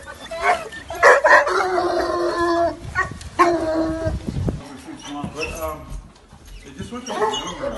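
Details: Two loud, frantic, hysterical bloodhounds playing together. Drawn-out harmonic baying cries of one to two seconds alternate with shorter yelping barks, while a person talks in the background.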